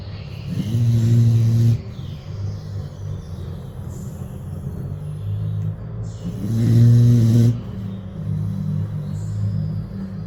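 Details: Sleeping pit bull on a porch snoring peacefully: two deep, buzzy drawn-out snores about six seconds apart, each lasting roughly a second, with soft breathing rumble between them.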